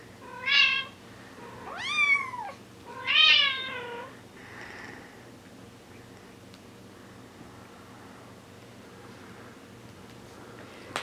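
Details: Bengal kittens four weeks old calling indoors: three loud, arching meows about a second apart, bright and harmonic, the middle one sliding up and down. They are followed by a soft fading cry, then near silence with a faint click at the end.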